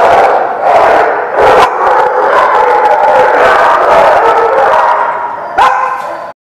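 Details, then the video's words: Dogs at The Barking Lot on 9/19/16 barking in a dense, overlapping chorus, with sharp bursts standing out over a constant mid-pitched din of many voices and a final loud yelp near the end. "The Barking Lot"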